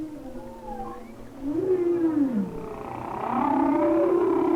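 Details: Winter humpback whale singing off Maui, picked up by hydrophone: sustained tonal moans with rich harmonics, a wavering lower tone bending down then up, joined by a louder rising, warbling upper note toward the end.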